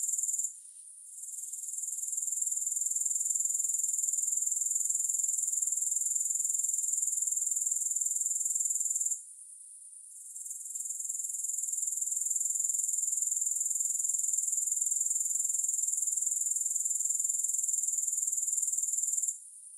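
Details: Soothing grasshopper sound with no music: a shrill, high, continuous buzzing trill that drops out briefly twice, near one second and near nine seconds, then swells back to full strength.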